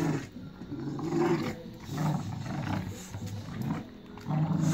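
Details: A family of Staffordshire Bull Terriers tearing apart a toy: low rumbling growls in three bursts separated by quieter gaps, with rustling and scuffling of the struggle over the toy.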